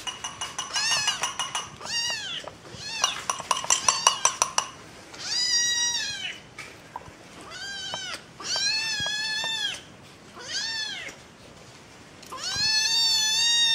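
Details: Kittens seeking attention from their owners: quick clusters of short, squeaky mews at first, then a series of longer, arched meows spaced about a second apart, high and clear.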